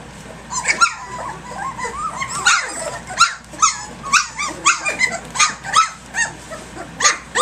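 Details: Three-week-old puppies, a rambunctious litter playing at six in the morning, give overlapping squeaky yips, whines and small growls in quick irregular bursts, with short harmonic squeals rising and falling between rough noisy yaps.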